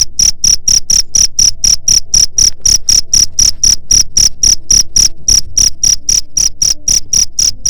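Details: Cricket chirping to repel rats, loud high-pitched pulses repeated about four times per second in a steady, unbroken series, with faint low hum underneath.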